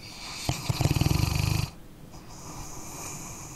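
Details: A dog snores in its sleep, a deep, rapid rattling snore of about a second made of evenly spaced throaty pulses, followed by a quiet breathy hiss as the breath eases out.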